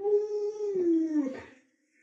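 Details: A single pet Alaskan Malamute named Lolo lets out a short, clear howl that holds steady, then slides downward and fades out within about a second and a half, followed by quiet.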